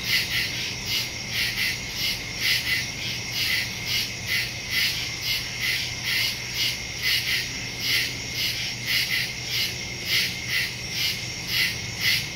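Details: Nighttime woodland crickets, captured September 2, 2023 using a Samsung Galaxy S22 Ultra and Shure MV88+ stereo mic: a continuous shrill trilling chorus in rapid, even pulses, layered bands of chirps over a quiet low drone.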